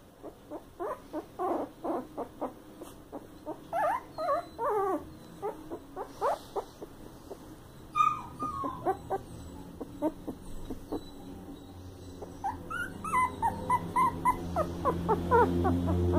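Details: Young Coton de Tulear puppies from a breeder's new litter yelping and whining continuously, rapid short pulses several per second with some rising squeaky whines, growing busier toward the end.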